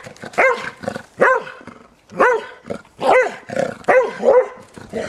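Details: Eleven-year-old springer spaniel out in the snow barks steadily while playing, about one bark every second, each bark bright with rising then falling harmonics.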